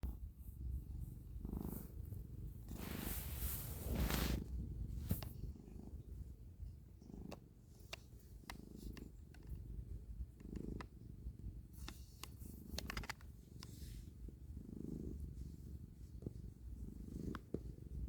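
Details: A domestic cat purrs while kneading. Steady, low rumbling purr pulses with each breath, interrupted by soft rustling and scratching sounds from the paws.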